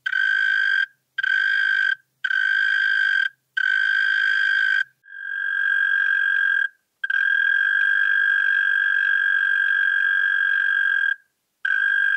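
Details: European mole cricket, Pabing, Austria, 31 May 2021, singing in four separate one-second churring bursts with short gaps, then switching to a long continuous buzzing trill lasting about six seconds before a brief break and restart.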